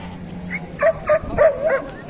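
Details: Dog at the Kohat dog market in Pakistan, where Pakistani bully dogs and German shepherds are shown, gives a short run of four or five sharp mid-pitched barks with yips over a steady background hum.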